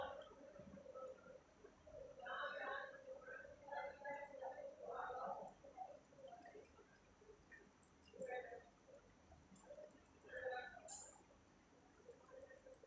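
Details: Cat at treat time, recorded 25 October 2023 at 1:12 am; a run of tonal, harmonic meows and chirps, some rising and falling, clustered over a few seconds, then isolated single calls later, over a steady indoor background hum.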